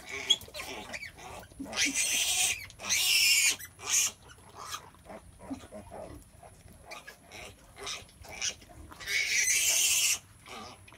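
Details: Sow in labour, giving birth to piglets: two long bursts of loud, harsh, broadband squealing, with short, soft, low grunts scattered between them.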